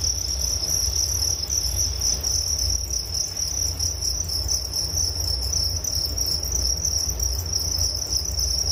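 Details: Nature sound of crickets for relaxation and sleep: an unbroken, piercing high trill that wavers slightly in strength, with fainter upper chirps and a steady low background drone.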